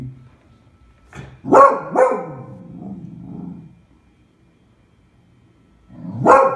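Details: Female Beagle barking in alarm at a pram she took for a terrible beast, recorded February 20, 2016: two sharp harsh barks, a low rumbling growl, then another loud bark after a pause.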